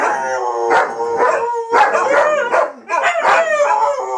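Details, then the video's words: Dogs howling during Fourth of July fireworks in 2012, a dense chorus of sliding, quavering howls layered over one another, broken by brief sharp yips, loud throughout the short stretch. "4th of July Dogs Howling"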